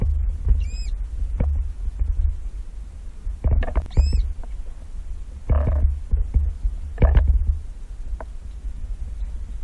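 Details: Baby manatee underwater at Crystal River, Florida, in 2018, checking out divers: two short, high, arched squeaks with stacked overtones, about three seconds apart, over a steady throbbing low rumble and bursts of bubbling noise.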